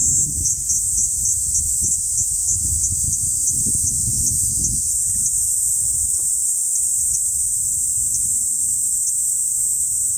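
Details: Kaempfer cicada. A Kaempfer cicada gives its continuous shrill, sizzling song, holding one high pitch the whole time. A low rumble of wind or distant traffic sits underneath, strongest early on.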